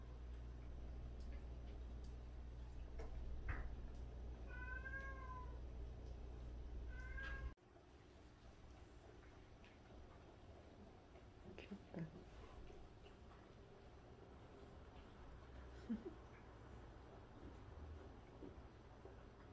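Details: Domestic cat in a home shared by 76 cats, one of which grooms the others' faces daily; a few short, arched meows sound in the first eight seconds over a steady low hum, followed by quieter rustling and faint clicks.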